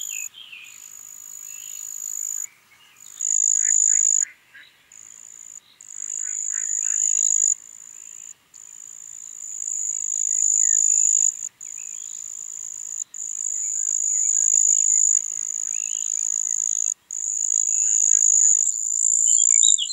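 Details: Marsh cricket (Pteronemobius heydenii) singing at Puntigam, Austria, on 4 June 2022: a steady, very high continuous trill broken by short pauses, with faint chirping birds lower in the background.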